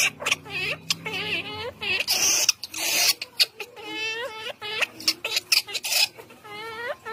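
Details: Baby monkey crying for her mother: high, wavering, tonal wails in short bursts, some rising and falling, mixed with rapid clicks and rustling patter between calls.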